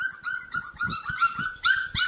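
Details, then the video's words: A bunch of playful Cane Corso puppies whose teeth are starting to come in keep up a fast string of high, ringing yips, about eight in two seconds, with faint scuffling beneath. "Bunch of Yipping Puppies!"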